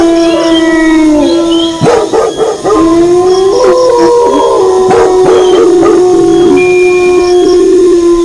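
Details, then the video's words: Wolves howling with dogs barking alongside: long, level, overlapping howls, some gliding down then rising, interrupted by several groups of sharp barks in the middle. "Suara Longlongan Serigala disertai Gonggongan Anjing"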